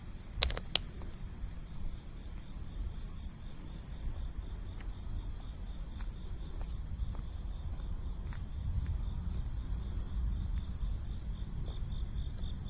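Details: Cicadas, identified as August cicadas of the family Cicadidae: a thin, steady, high-pitched drone with a faint pulsing buzz that runs throughout, beneath heavy low rumbling noise, with a few sharp clicks near the start.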